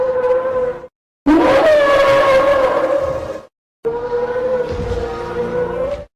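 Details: Guinea pigs calling during a night feed: long, loud, steady whistled wheeks held at one pitch for about two seconds each, with rich harmonics, broken by short silences.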